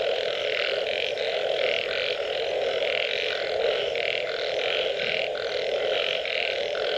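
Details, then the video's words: Frogs after rain give rapid, rhythmic croaks, short blocky notes repeated several times per second and overlapping into a pulsing chorus above a constant low drone. "Unbelievable Frog Sounds after Rain"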